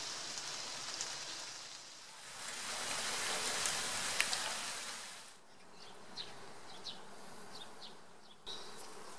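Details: Honeybees by the Galeizon river in the Cévennes, France, 2015, filmed with a Panasonic Lumix camera: a broad hissing buzz swells for about five seconds, then fades to quieter intermittent buzzing with brief higher whines.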